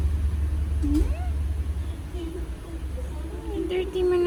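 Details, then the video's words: Sleepy female cat throwing a tantrum: a quick rising meow, then quieter drawn-out whining cries building to a sustained complaint at the end, over a steady low rumble in a small room. "Cat is sleepy so she’s throwing tantrums."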